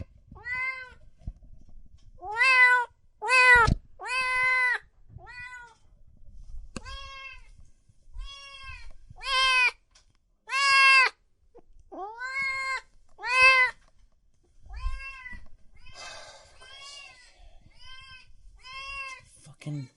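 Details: Cats and kittens meowing loudly in quick bursts, a run of rapid, strongly harmonic meows with some drawn-out cries, over faint low thumps and soft background noise.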